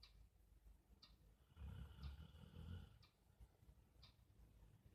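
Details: Sleeping Rottweiler snoring: a drawn-out, rattling low rumble in the middle of the clip between quieter breaths. Regular clicks tick about once per second.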